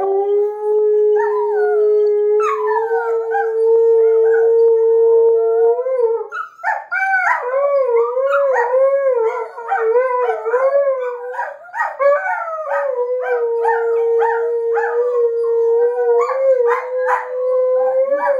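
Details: Border Collie puppy, adult Border Collie and Alaskan Malamute howling at home on 15 March 2013. A long steady held note gives way to overlapping wavering, warbling howls from several dogs, loud and continuous throughout.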